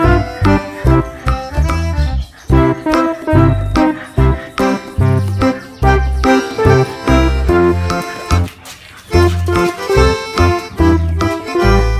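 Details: Upbeat instrumental music with accordion and plucked guitar in a steady, bouncing rhythm fills the whole stretch, with no animal sound audible.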